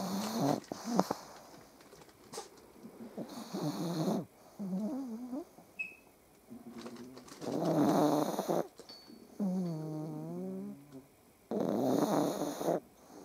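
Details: Pug dogs snore in the morning as they wake, lying on their owner, in loud, rasping bursts mixed with whiny, groaning tones.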